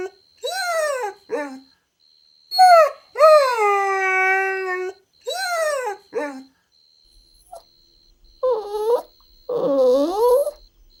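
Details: Golden Retriever puppies playing on a green lawn, making loud, clear whimpering whines: several rising-then-falling cries, one held for about two seconds, then two lower wobbling whines after a pause.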